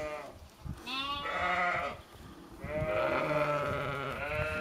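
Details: Sheep in Skåne, Sweden, giving overlapping wavering bleats, one from about one to two seconds and a longer drawn-out call from two and a half seconds to the end, over a soft background hum.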